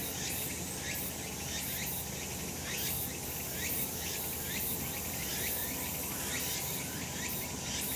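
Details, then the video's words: Summer mountain in sunshine, cicadas in full voice: quick, buzzy rising pulses about once a second, many callers overlapping into a bright continuous shimmer. "セミの鳴き声 夏の山 日なた"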